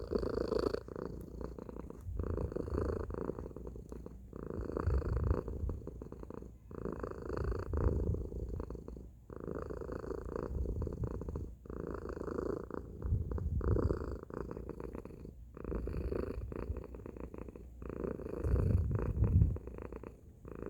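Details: Tacy, a domestic cat, gives a loud, deep rumbling purr over twenty seconds. It swells and fades in cycles of roughly two seconds with each breath, and the bass-heavy throb grows strongest on alternate phases.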